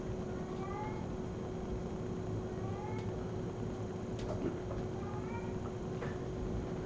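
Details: Pet female house cat calling in the background at home, as she does when carrying a toy like a crinkle ball or bracelet; faint short meows at intervals of about one to two seconds under a constant hiss.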